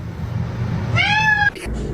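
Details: Kitten meowing indoors: a single clear, tonal meow of about half a second that rises slightly and then holds steady before cutting off, over a low steady background hum.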